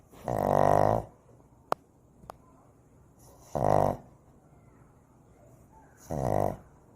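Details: Shih Tzu puppy San asleep, giving three loud, buzzy, nasal snores, each about half a second long and spaced roughly every two and a half seconds, with near silence and a couple of faint clicks in between.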